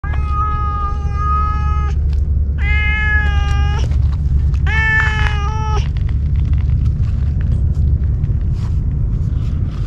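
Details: Stray cats outdoors in Japan being fed on a hot day, one cat giving three long drawn-out harmonic meows, each about a second or more, over a strong low rumbling background.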